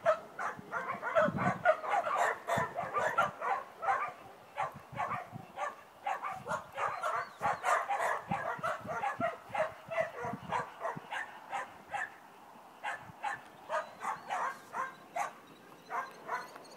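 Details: Border Collie Sen barking during a lie-down, wait and come training session; a long rapid run of sharp, high barks, roughly three or four per second, with brief gaps, steady through most of the stretch.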